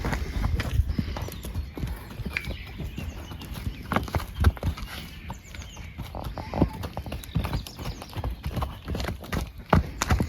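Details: Horses munching on hay, given while the grass recovers. Uneven bursts of crunchy, low chewing come in quick clusters throughout, with brief pauses between mouthfuls.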